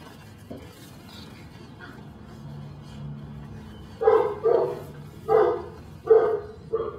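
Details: Belgian Malinois puppy named Dinar "Cricket" from Mexico, giving five loud barks in the last three seconds after a quiet stretch with a low hum.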